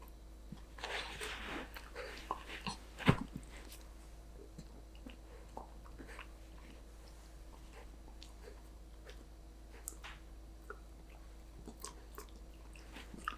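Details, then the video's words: Danbi, a Golden Retriever puppy, munching a treat in a small room; scattered crunchy bites and smacking chews, one sharp loud crack near the start, then quieter intermittent chewing above a faint constant hum. "강아지 먹방 | 골든 리트리버 강아지 단비"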